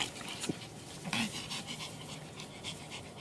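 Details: Pomeranian from a kennel in Kyiv, Ukraine, panting in quick soft breathy bursts, with a brief higher whine near the start, against a steady hiss of room noise.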